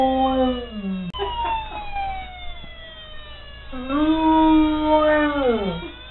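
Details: Ellie, a pet dog, howls along to an ambulance toy siren: two long wavering howls that hold steady and then slide downward at the end, with the toy's electronic siren tones sounding steadily underneath throughout.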